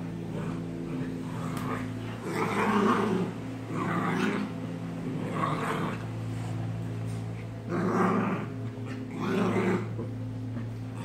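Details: American bulldog growling while fighting a German shepherd and a Maltese: a series of deep, rough growls in bursts of roughly a second, rising and falling, with a steady low electrical hum underneath.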